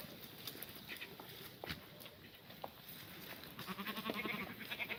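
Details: Korean black goats in an exercise yard at a farm in Gimhae, South Gyeongsang, Korea, on a clear Sunday morning, 24 March 2019, during a spring cold snap. Faint background, then quavering, tremulous bleats near the end.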